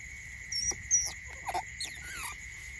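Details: Eurasian otter pups, being kept from suckling on each other, give brief, high, thin squeaks and chirps over a steady electronic whine.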